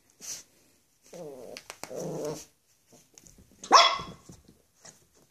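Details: Dog indoors on the first day together for Chorizo, a Xoloitzcuintli (Mexican Hairless), and Flex, a Bull Terrier: low groaning rumbles, then one sharp, loud bark near the end, amid soft household knocks.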